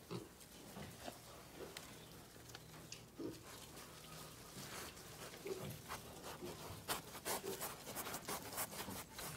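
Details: Domestic pigs on a farm producing scattered low grunts early on, then a busier stretch of clicks, rustling and shuffling noises as the animals move about.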